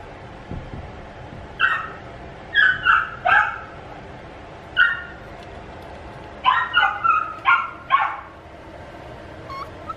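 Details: Male puppy barking in short high yaps, single or in rapid runs of two to four, spaced unevenly over the recording, ending with a faint whine.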